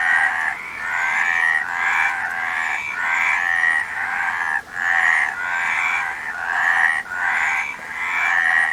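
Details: Harsh, buzzy frog croaking rolls on in pulsed bursts repeated about every second or two, with only brief gaps, dominating the recording.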